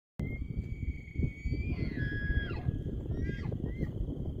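An elk lets out a high, pure whistle that holds level before sliding down in squealing breaks, followed by a shorter whistled note. A heavy low rumble of wind runs underneath throughout.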